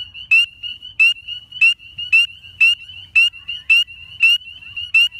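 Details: A spring peeper (Pseudacris crucifer) in Tuscaloosa, Alabama gives loud, high, upward-slurred peeps, about one every two-thirds of a second.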